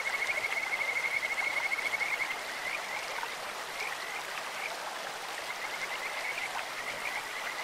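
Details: Kajika frogs in a clear stream open with a long, bright, high trill of rapid pulses, then quieter scattered chirps follow, all over constant babbling water.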